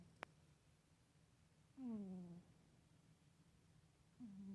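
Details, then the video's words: Domestic cat asleep, making a humming snore: a low droning note that swells, then slides downward and fades, followed by a second rising hum starting at the end; a faint click early on. "Kitty snoring"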